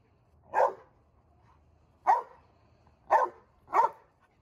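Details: Angry barking from a seven-month-old male Dogo Argentino losing his temper at a first-time encounter: four deep, heavy barks, the last two close together, over a quiet low background.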